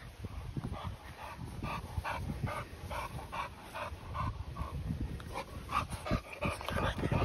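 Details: Panting from Continental Bulldog Rita, ten months old, or her new two-month-old brother Sumo: fast, steady, breathy puffs close to the microphone, nearly three a second, growing louder toward the end.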